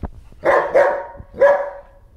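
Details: German Shepherd Bear at play with a floppy fish toy, letting out a quick double bark followed by one more harsh bark that tails off, loud and close in a quiet room.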